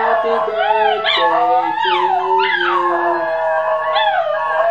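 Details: Three Basenjis howl along in wavering, rising and falling yodels over people singing Happy Birthday with steady sung notes.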